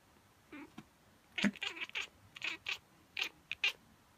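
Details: Miez, a female pet cat, reacting indoors to a person sneezing or pretending to sneeze, which she does every time; a string of short, bright, chirpy cat calls in quick bursts, mixed with human vocal sounds.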